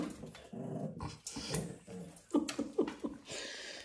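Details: Puppies on a regenerative farm in County Kilkenny, Ireland, playing, feeding and sleeping, chasing older dogs; soft low growls and rumbling noises, then a few short higher yelps and whines near the end, with thumps and rustling movement indoors.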